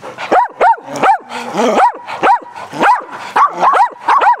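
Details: Dogs having fun playing fetch on a spring day: a quick series of rising-falling yelping barks, about two per second, with one drawn-out whine among them.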